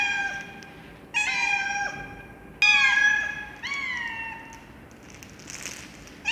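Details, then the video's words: Loud meowing from a cat, three clear harmonic calls sliding downward, followed by a brief hissy noise burst toward the end, otherwise quiet background. "Cats Meowing Loudly"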